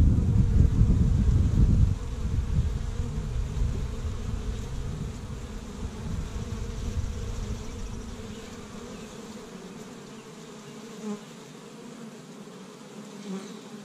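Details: Honey bees from an established hive in Michigan on the first warm day of spring, gathering pollen from tree buds; a steady layered buzz hums through, masked early by heavy low wind rumble that fades after two seconds.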